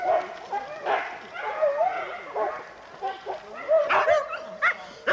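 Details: Huskies at a sled dog race weekend in the Forest of Dean, England, November 2001, taped on VHS: high wavering whines and short yelps overlap in bursts, with several dogs calling at once.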